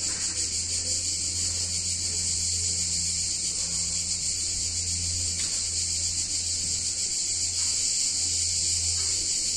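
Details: Cicadas in an Italian town on a warm summer day, their shrill droning buzz steady and unbroken while a deep hum rises and fades in slow pulses underneath.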